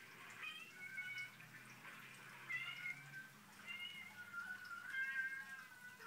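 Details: Dramatic domestic cats whose noises make Sophie, a Newfoundland dog, tilt her head: a series of quiet, drawn-out, wavering meows, each lasting about a second, with some rising and falling in pitch.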